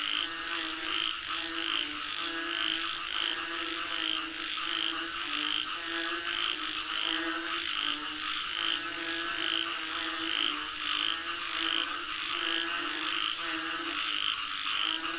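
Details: Chorus of frogs calling for rain, many throaty croaks layered in a continuous rhythmic pulse of deep harmonic notes and quicker raspy bursts, over a steady high insect-like hum.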